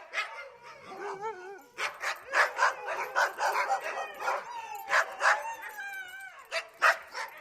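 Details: Dog barking to express its feelings: rapid, sharp yapping barks in irregular bursts, mixed with high, wavering whines and squeaky yips between the barks.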